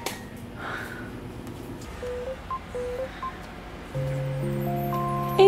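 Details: Playful background music of short tonal notes builds into held chords, with faint indoor noise and no clear animal sound.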